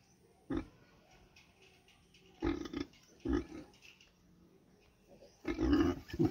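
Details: A street pig, a mother with piglet, gives a series of short, rough grunts, with low background noise between them.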